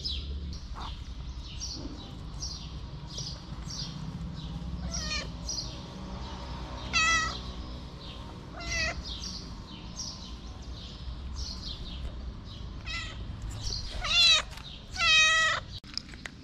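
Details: Pregnant feral black stray cat meowing. Short meows come around five, seven and nine seconds, then louder, wavering, drawn-out meows near fourteen and fifteen seconds. Soft high bird chirps and a low outdoor hum run underneath.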